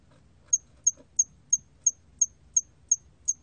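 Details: A hairy cricket recorded in 2020 repeats brief, thin, high-pitched clicking chirps at a steady pace of about three each second, each a sharp tick with silence between, over a faint low background hum.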